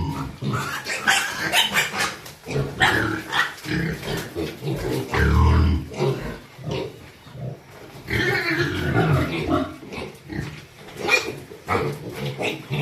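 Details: Domestic pigs kept for rearing and sale give rough, low broadband grunts in short bursts, with one heavier burst near the middle, while people talk and handle animals close by.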